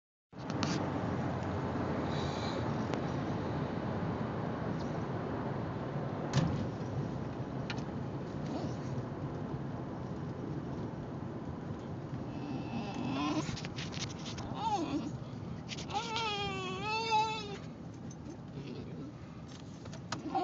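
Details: Basenji. Steady road rumble fills the car until a Basenji breaks in with a warbling, rising-and-falling yodel lasting a few seconds. The dog is asking to be let out for a potty break, and a person speaks briefly near the end.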